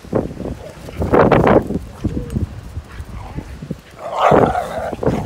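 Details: Dogs, fourteen of them, playing together in snow; short rough barks and yelps come in bursts around one and four seconds, with human voices mixed in.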